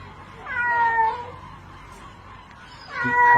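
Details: Drowning cat calling for help during a rope rescue; a long, falling meow, a quiet gap with faint background noise, then another loud meow starting.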